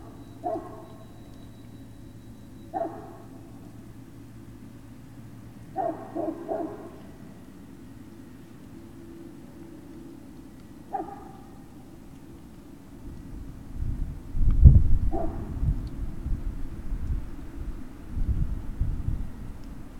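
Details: Great Dane puppies at Puppy Hill on the evening of 19 February 2019, giving short harmonic yelps at uneven intervals, each a brief bright burst; from about thirteen seconds on, a low rumbling and thumping noise rises underneath the last yelps.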